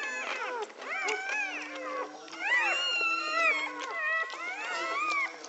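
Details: Newborn American Pit Bull Terrier puppies during a whelping in Egypt give high, arching squeals and whines, overlapping in quick bursts with rising and falling pitch, with a steady low hum beneath.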